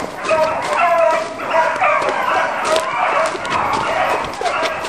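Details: A pack of beagles hunting roe deer on foot, dense overlapping baying from several hounds: drawn-out, ringing yelps and bays that rise and fall, coming in rapid waves with no pause across the whole stretch.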